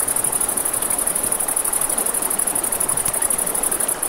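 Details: Crickets calling at night by a river next to a campfire, a piercing high trill pulsing in rapid, even beats, backed by the rush of water and light fire crackle.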